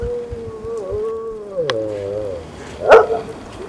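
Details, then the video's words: Maremmano-Abruzzese sheepdog named ALFA howling in Ajara, Georgia, at Green Cape; a long wavering tone with layered harmonics slides slowly downward, followed by a brief sharp sound near the end. "Maremmano-Abruzzese ALFA 's singing."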